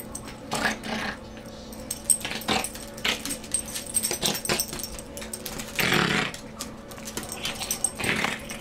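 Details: Morkie, a Maltese/Yorkie cross, playing during a morning indoor play session in an office; snorts and snuffles caused by a chronic nose problem, not growling; short broadband snuffling bursts about every second, loudest near six and eight seconds.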